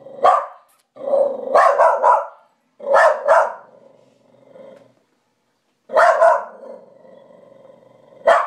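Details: Charlie the dog, barking madly at night at the dog in the mirror he takes for an intruder: clusters of rapid, harsh barks in doubles and triples, trailing into low growls between bursts.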